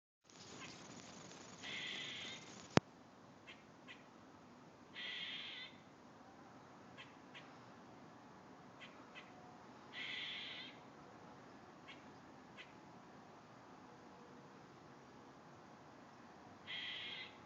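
A squirrel makes a hoarse, wheezy crying noise in short bursts, spaced several seconds apart. Faint clicks and chips fall between the calls over a low background hiss.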